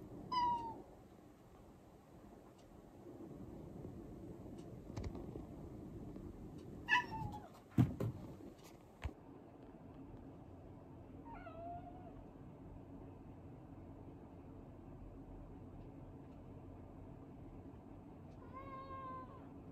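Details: Quiet, gentle male house cat, rescued as a kitten in late spring 2015, gives four soft, short meows spread across about twenty seconds, each dropping slightly in pitch, with a few thumps and clunks in a small indoor room.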